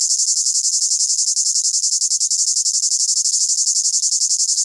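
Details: Cicada calling from a tree in the Amazon rainforest, South America, in summer, holds one unbroken, piercing, hissy buzz that pulses rapidly and steadily in loudness, with no other sounds intruding.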